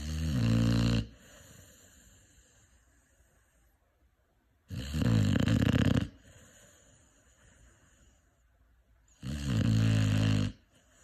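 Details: Five-month-old Cane Corso puppy snoring in its sleep: three loud, rasping, low inhaled snores, each lasting about a second, spaced roughly four to five seconds apart, with quiet breathing between.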